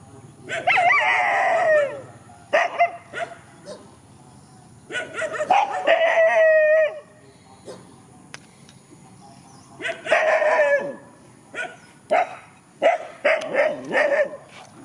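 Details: Countryside dogs facing each other in a field, a mix of harsh barks, yelps and short howling bursts in irregular clusters.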